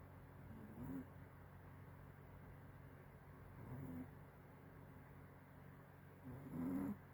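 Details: Six-month-old puppy snoring, soft low rasping snores every three seconds or so, each a brief rise over a faint steady hum.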